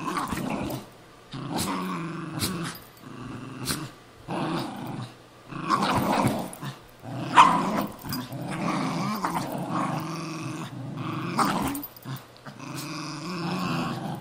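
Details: Cairn Terrier and Jack Russell Terrier, two pet dogs, fighting over an old golf glove: rough, rumbling growls in bursts of one to two seconds with short gaps, some snarling peaks, both dogs growling together.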